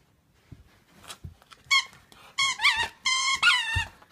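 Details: Bella, a three-month-old female Pitbull Chow Chow mix puppy, playing indoors: a cluster of high, squeaky whining yelps with bright harmonics, rising and falling in quick bursts over about two seconds, with faint bumps and thuds.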